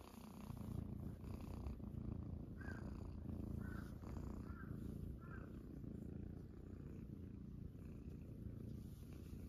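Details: A steady deep purr rises from Munchkin kittens lounging on a person's belly in the morning. Four soft, short higher chirping sounds come about a second apart midway.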